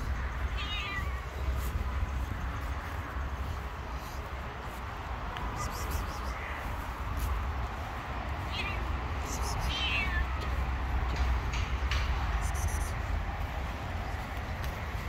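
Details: Hungry stray street cats running toward a familiar voice; several short, rising-then-falling meows near the start and again between eight and ten seconds, over a constant low rumble and background noise.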